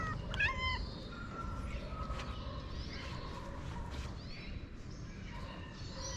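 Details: Moroccan street cat, one of several strays, coming toward a person with a meow; a clear quavering meow at the start, then fainter mews and rustling against steady outdoor background noise.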